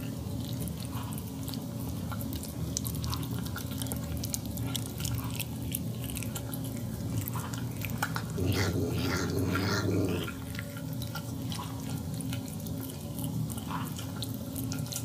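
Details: Pet cat eating her food and tasting the gravy, making a 'yum yum' talking sound, with another cat present off-camera; steady wet chewing and lapping indoors, broken by a short murmured, voiced burst lasting about a second and a half.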